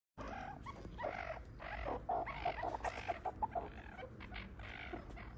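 A meerkat gives a quick series of short, clucking chirps, several each second.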